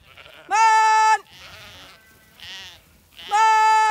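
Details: Zwartbles ewes in County Kilkenny, Ireland, called in from pasture ahead of shearing, give two strong level bleats with quieter overlapping bleats from other sheep between them.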